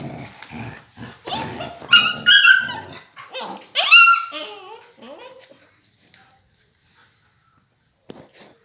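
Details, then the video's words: Husky with grey wolf-like agouti coat in a fight with a young pup: gruff growling barks mixed with tonal, wavering whimper-yelps, fading to near silence with one last brief yap. "Briga da Husky Loba Cinzenta com a filhote"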